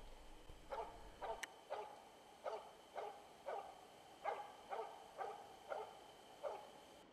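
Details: An experienced, older Finnish Spitz hunting dog bays at a moose in an autumn forest in southern Central Finland, about 400 metres away: steady, sharp barks repeated about twice a second.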